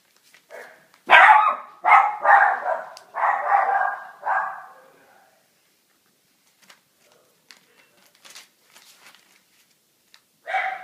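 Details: Litter of 3.5-week-old puppies from Tosca and Webber: a burst of five loud, squealing yelps and whines in quick succession over the first five seconds, then near silence with soft rustles, and one more short yelp at the end.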